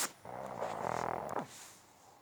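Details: Pug snoring indoors: one buzzy, fluttering, rattling breath lasting about a second, rising and then easing off, followed by quiet room tone.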